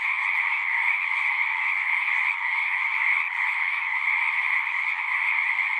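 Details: Continuous chorus of singing frogs: many overlapping trilling voices merge into an even, buzzy drone in two pitch bands, with faint brief flickers of individual calls and nothing else audible.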